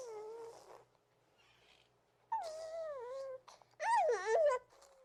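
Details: Baby hedgehog named Reese cooing: three tonal, whistle-like calls with wavering pitch, separated by quiet gaps; the final call is the loudest and warbles up and down before trailing off into a soft steady tone.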